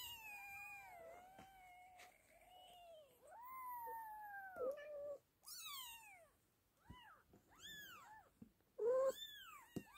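British Shorthair kittens give high, thin mews, some long and wavering, others short and arched.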